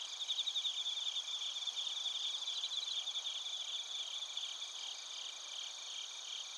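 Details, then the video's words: Bell crickets and field crickets recorded at Narita, Chiba Prefecture, Japan, with a TASCAM Portacapture X8: a dense, steady chorus of high, shimmering trills and rapid pulsed chirps layered over continuous ringing tones, no other sounds. "スズムシとコオロギの鳴き声 - Chirping of crickets"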